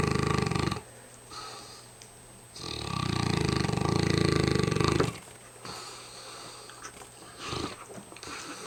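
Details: Hamish the mastiff, very tired, snoring heavily: a short rasping snore, then a long, loud, low rumbling breath of about two and a half seconds, with quieter breathing between snores and a faint steady hum.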